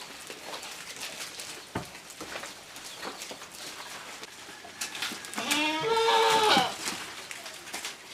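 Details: Jamunapari and Saanen mixed-breed goats at feeding time, eating leaves; one goat gives a single wavering bleat about a second long near the end, over rustling and clicking feeding noises.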